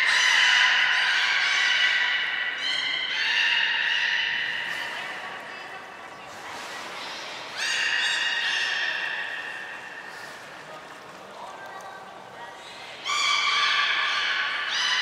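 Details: Belugas Hodoi, Taanya and Mirai at Port of Nagoya Public Aquarium during a pool transfer and training session on 23 February 2021; long, harmonic squealing whistles with a raspy edge, a sustained burst at the start, then fresh ones near seven and thirteen seconds.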